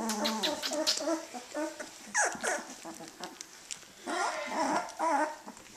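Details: Eighteen-day-old puppies beginning to play let out clustered yips and one sharp descending squeal, followed by wavering whines, with indoor background murmur.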